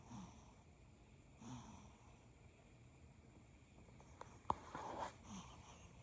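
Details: Teacup Yorkshire Terrier puppy Ralphie taking a morning nap in a lap, dreaming, snoring, snorting and twitching; soft, breathy snores come in widely spaced puffs, with one brief sharp snort-like click near the end in a quiet room.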